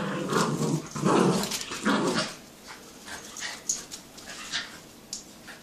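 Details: Jack Russell and Yorkie in a tug-of-war game indoors. Loud gravelly growls pulse for about two seconds, then fade to softer scattered growling and rustling.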